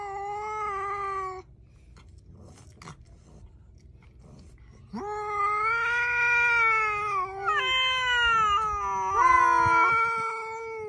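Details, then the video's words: House cat yowling loudly: a short meow, then after a quiet gap a long, insistent wailing call that rises and breaks abruptly in pitch several times. Faint clicks are heard in the pause. "Funny Cats and Kittens Meowing Compilation"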